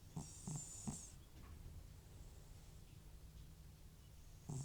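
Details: Old cat Butcher, FIV-positive and snoring from nasal trouble, sleeps with short, soft snorting rasps. Three quick rattles open the passage, then a long quiet breath, and another rough snore closes it.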